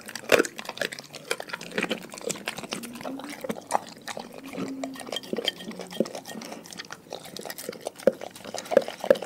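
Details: Dogs from a pack chewing raw food, with dense wet crunching and lip-smacking clicks throughout, occasional loud snaps, and a faint low steady hum in the middle.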